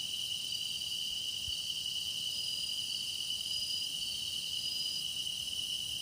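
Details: Meditation soundscape of singing grass insects, an unbroken high-pitched ringing chorus with a bright steady tone and airy shimmer above, a few brief thin whistled notes drifting over it, and one soft low thump near the start.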